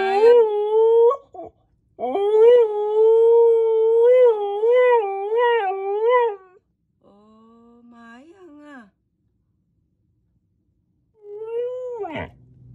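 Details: A two-year-old female Siberian Husky howls for the first time, giving long, wavering howls that rise and dip in pitch, calling for "Daddy" while her owner coaxes her to speak.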